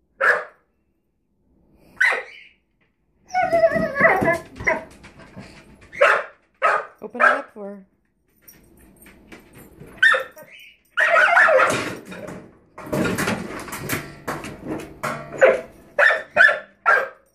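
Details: Puppy named Rosie barking at a drawer under the oven indoors; short harmonic barks in scattered bursts, with people talking over and between them and some clattering.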